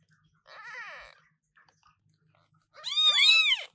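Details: Newborn British Shorthair kittens, including Cream, born 2023-08-15 to Coffee and Milk, meowing loudly indoors: a softer arched meow, a pause, then a louder, high, bending meow rising and falling in pitch.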